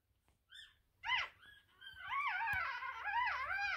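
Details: One-week-old Russian Toy puppy indoors with its mother, giving high, wavering whimpers and squeals that rise and fall, growing into a continuous whining cry toward the end.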